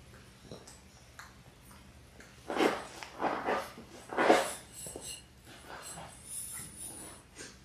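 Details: Six Labrador Retriever puppies in their sixth week, born January 18, 2022, on an indoor puppy cam; short breathy whimpers and snuffling snorts come in a cluster of bursts midway, over quiet room tone.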